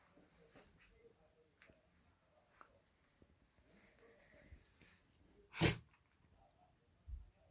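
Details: Gureum, a pet dog indoors, thought to have caught a cold, gives a single sharp, explosive sneeze, followed by a softer snort; quiet murmurs and small rustles come beforehand.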